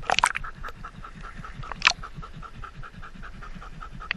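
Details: Standard Poodle Indy wearing a GoPro at a lake in over 100-degree heat: quick, even panting breaths throughout, broken by a cluster of water splashes at the start and another clattering burst near two seconds.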